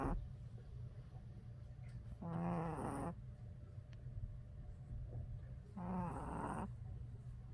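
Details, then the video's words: A tired Boston Terrier puppy snores, giving raspy, buzzing breaths about every three and a half seconds. "Boston Terrier baby snores/ Puppy snoring"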